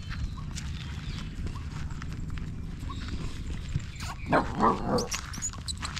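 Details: Stray puppy held in someone's arms, crying for help: a short burst of harmonic whining cries near the end, over a steady low rumble of outdoor background noise.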